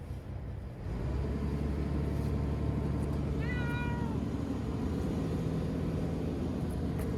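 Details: Chanta, a shy ear-tipped former street cat moved into a bathroom for shelter from a strong typhoon in September 2020, lets out a single long, slightly wavering meow amid a constant low rumble.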